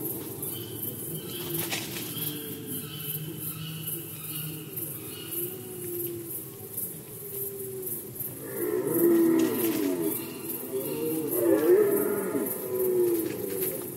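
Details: Rut season of red deer in Poland, 2020, with a quiet, hushed start followed by two strong guttural roars, each about two seconds long, drawn out and harmonic, and a faint rhythmic ticking throughout.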